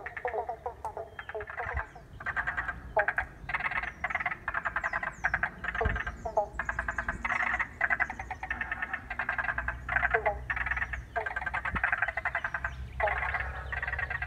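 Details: Frogs chorusing in a wetland at Paringa Paddock National Park, South Australia, after water was let in, recorded on an iPhone: dense overlapping rattling, pulsed croaks in short bursts, with faint high chirps above.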